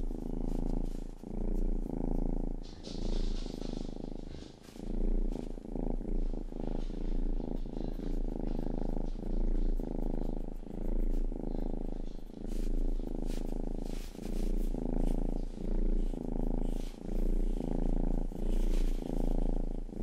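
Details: A loud, close purr from Rangi, the youngest pet cat, while it grooms by licking ears. The low throbbing rumble rises and falls about once per second, overlaid with crisp licking ticks.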